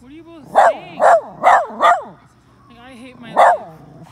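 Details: A red Miniature Poodle gives a string of short, wavering howls directed at other dogs.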